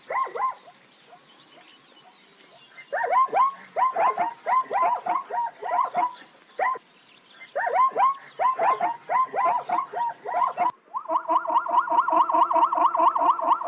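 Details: Plains zebras giving bursts of yelping, harmonic barks in fast runs, separated by a quiet pause. Near the end the sound shifts abruptly to rapid, evenly pulsed, tonal barks.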